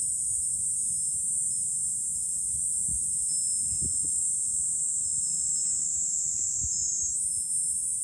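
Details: Fukuoka City cicadas in July, recorded from a hilltop overlook in Japan. A continuous piercing hiss-like drone dominates and steps up in pitch near the end. Faint thumps of wind sound below.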